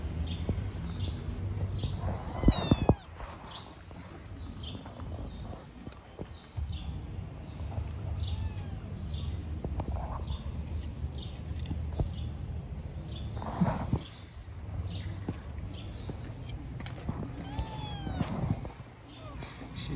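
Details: Stray kittens living on the street and playing, giving two high, harmonic meows about sixteen seconds apart, each sliding up then down, over a steady low rumble of traffic and scattered thumps.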